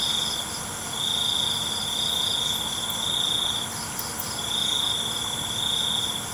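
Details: Night-time cricket chorus: a steady high-pitched trill swells in long sustained bursts of about two seconds, separated by brief quieter gaps, over a soft constant background hiss.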